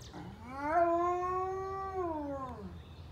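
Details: Very high-content wolfdog responding to a monthly siren test on a Monday morning; a single long howl that slides up, holds level for over a second, then glides down and fades.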